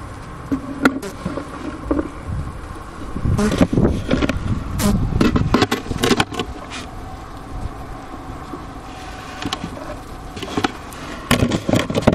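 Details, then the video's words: Winter hum of honey bees inside a hive at Ohio State University's Wooster campus, about 4PM, January 16, 2024, 15°F outside, recorder beside a sugar brick at the inner-cover hole; a low drone broken by frequent sharp clicks and bumps. "Bee Hive Sounds in Winter"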